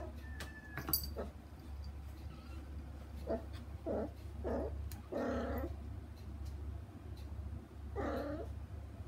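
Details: Kittens and their mother cat playing on either side of a frosted glass pane, kittens wanting to go to her: a faint thin whistle-like call early, then several short, muffled, lower mews and bumps, low hum throughout.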